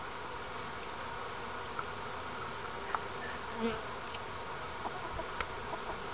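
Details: Honey bees from a hive rescued from inside a wall, handled by a beekeeper working the new hive; a steady, dense droning buzz fills the recording with a few faint clicks and taps.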